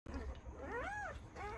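Newborn Great Dane puppies cry with thin, wavering whines, each one rising to a peak and sliding back down. A steady low hum sits underneath, and overlapping squeaks follow near the end.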